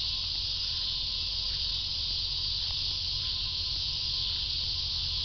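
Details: Cicadas in full chorus: a dense, unbroken high buzzing hiss that holds steady for the whole stretch with no pauses, over a faint low rumble.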